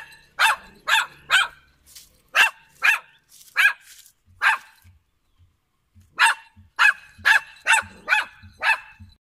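A poodle barks in sharp, high, yappy bursts, in quick runs of three or four.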